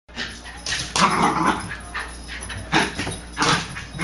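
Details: Welsh Terrier, female, running her nightly laps around a living room indoors; short broadband yips and bursts spaced irregularly, about five over four seconds, with thumping movement noise between.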